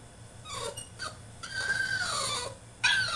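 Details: French Bulldog throwing a tantrum in his cage gives a long, high, wavering whine that slides downward, followed by a sharp rising squeal at the end.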